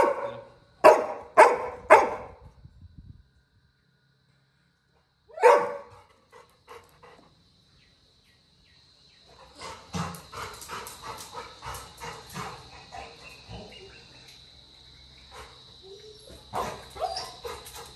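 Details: Little John, a village Labrador Retriever puppy, cries when his brother leaves the house. A quick burst of four yelps and one more follow after silence, then a long, softer stretch of rapid barking over a steady high hum.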